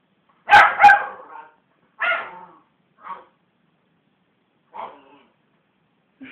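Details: A West Highland White Terrier, provoked by hands bashing on a sofa, gives a loud double bark, then one single bark, followed by softer, fading huffs and a small growl-like sound at the end.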